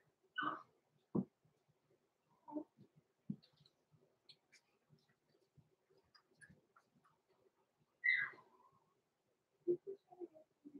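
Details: Roman and Blue, blenheim Cavalier King Charles Spaniel puppies six weeks old, overnight in their indoor pen; a sharp high squeak opens, scattered soft grunts and rustles follow, then a rising whimper around the middle-late part and low murmurs at the end.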